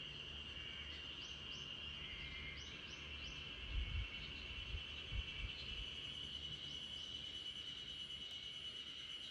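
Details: Backyard chorus of spring cicadas: a continuous, even high-pitched whine, joined by short rising bird chirps early on and a few soft low thuds near the middle while a Great Pyrenees sleeps.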